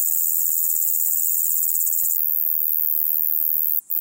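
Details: Large Conehead singing by Keutschacher See, Austria, on 20 August 2021: a loud, continuous, very high hissing buzz with fast even pulsing, dropping sharply in loudness about halfway through but carrying on quietly.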